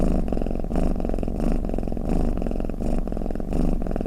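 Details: Domestic cat snoring, offered as a sound to lull other cats toward sleep; a steady low rumble swelling and fading in breath cycles roughly every 0.7 seconds, with a dense throbbing texture and no other sounds.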